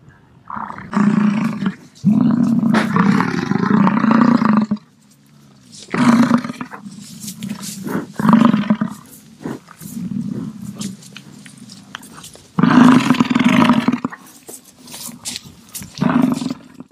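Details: American bison bellowing repeatedly in low, guttural roars of varying length, some drawn out for over two seconds, broken by softer grunting rumbles between louder bouts.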